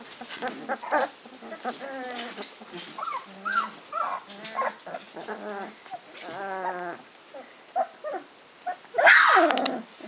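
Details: Hungarian Vizsla puppies aged 15 days, eyes newly open, making their first real attempts at walking; several high, wavering whines and squeals, some rising and falling, a few seconds apart, with a loud noisy burst near the end.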